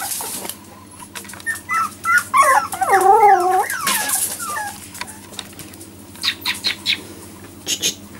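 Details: Four-week-old Jack Russell Terrier puppies that began walking in the last four days give high, wavering whimpers and squeaks, clustered mid-clip, over a low steady hum and scattered clicks.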